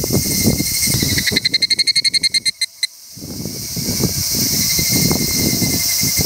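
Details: Higurashi cicada: a quick, evenly spaced string of about fifteen ringing pulses that fades out after roughly a second and a half, set against a constant shrill insect hum and low rustling noise.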